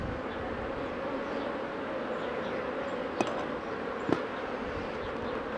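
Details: Honey bees from Mini+ hives droning evenly and continuously while a beekeeper handles the colonies in 2018. Two brief knocks cut through the steady low hum late in the clip.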